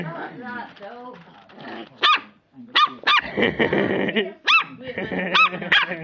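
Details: Four-week-old Lhasa Apso pups yapping: brief, sharp, high-pitched barks in quick irregular bursts, about seven in six seconds, over steady human chatter.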